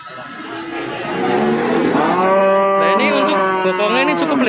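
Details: Cattle lowing at the Babat cattle market in Lamongan, East Java, on 29 September 2020: a swelling, harmonic moo that grows louder and wavers in pitch, with overlapping calls over a busy market background.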